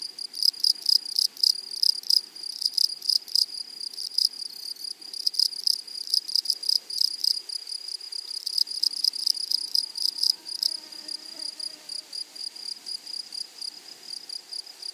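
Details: Grasshoppers in a flowery meadow: a steady high shrill band with loud broadband buzzing bursts in irregular rapid groups, fading into softer, sparser chirring after ten seconds, with faint low rustle beneath.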